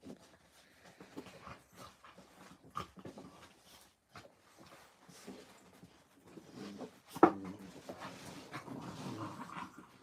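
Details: Puppies at play indoors at an Illinois orphanage on a Friday morning: soft whimpers, pants and scuffles build to a sharp yelp near the middle, then a louder stretch of muffled growly rustling.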